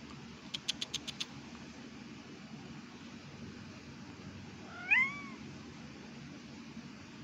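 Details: Two pet cats meowing and talking to each other indoors; a quick run of sharp clicks opens, then one clear rising-and-falling meow rings out near the middle, over a steady low hum.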